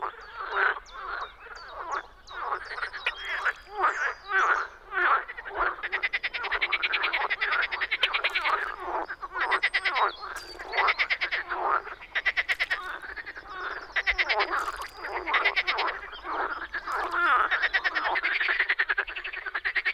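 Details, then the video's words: Frogs calling in spring in the Czech Republic: a dense, overlapping chorus of rattling, rapidly pulsed croaks, some in quick trains, others as separate harsh notes, running without pause for twenty seconds. "European frog calls"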